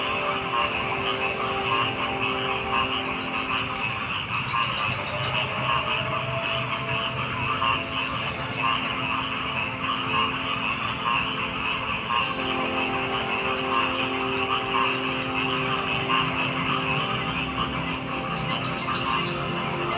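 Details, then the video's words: Dense frog chorus over twenty seconds: overlapping croaks and trills merge into a steady wall of sound, punctuated by occasional louder bursts and low humming tones. "Frog Sounds"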